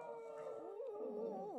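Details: Ten-year-old senior West Highland White Terrier "talking" to its owner during a belly rub: a sustained, wavering howl-like moan that bends up and down in pitch, steady in loudness throughout.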